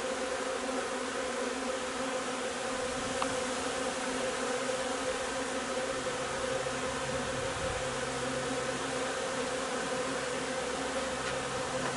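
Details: Buzzing of a honey bee hive during linden honey nectar flow on 3 June: constant droning hum with rich overtones, a couple of faint ticks, and a low steady rumble underneath.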